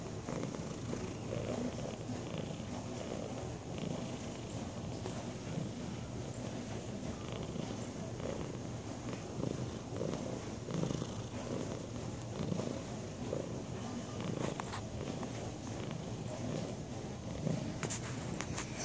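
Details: Purring from Sunny, a lazy tabby cat: a continuous, evenly pulsing low rumble that holds for nearly twenty seconds, with a few faint clicks and rustles over it.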